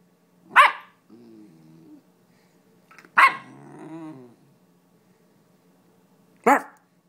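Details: German Shepherd named Sam playing tug-of-war indoors: three sharp, loud barks spaced about three seconds apart, with low, rumbling growls running between them, while a person calls the dog.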